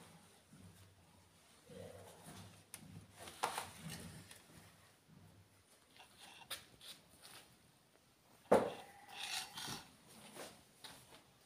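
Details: Aggressive Rottweiler giving a low, rumbling growl with faint harmonics from about two to six seconds, followed by rubbing and scraping noises, a sharp knock and brief scuffling.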